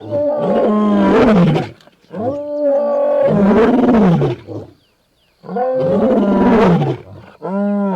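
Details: Angry lion in a forest, roaring in three long, strongly harmonic bursts of about one and a half seconds each, separated by short pauses, followed by the start of a fourth call.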